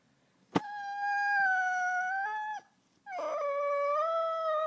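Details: Border Collie named Chase howling on cue in a call-and-response 'throat singing' session: two long, steady, tonal howls, each about two seconds, held level with a slight dip at the end, separated by a brief pause in a quiet room.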